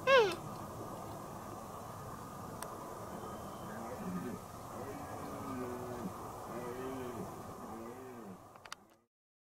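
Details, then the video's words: Deer calf calling to its playmate: a series of short, arched, nasal bleats, each rising then falling, repeated about once a second over a steady background hiss. "Játszótársát hívogató szarvasborjú"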